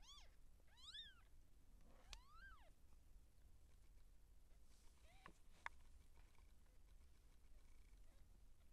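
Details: Siamese seal point cat in labor, giving birth to kittens, gives several rising-then-falling meows in the first three seconds, then a short cry near five seconds; low background hum throughout.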